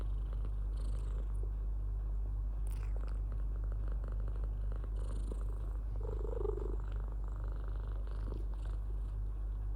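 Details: Domestic cat purring steadily, a continuous low rumbling throb with even pulses throughout, and a few faint soft rustles and clicks above it.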